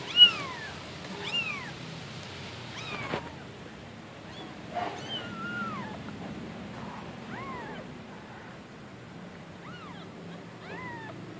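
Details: Tiny newborn wild kitten from the neighborhood, spoon-fed milk since she could not reach her mother's milk, gives about eight high, arched meows, each rising then falling, spaced one to two seconds apart, with soft background hiss.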